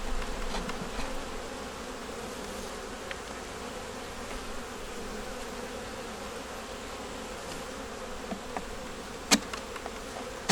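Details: Honey bees in a nuc colony working to make it through winter, opened for a hive inspection with a yellow queen, eggs and brood in the top; a steady, low droning hum throughout, with faint clicks and a sharp tap near the end.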